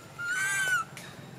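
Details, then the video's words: Neglected little monkey cries non-stop for its uncaring mother; one sustained, plaintive wail rises slightly and then falls away, bright and harmonic, lasting over half a second above a faint low hum. "The most pity poor little monkey crying non stop when mom not care"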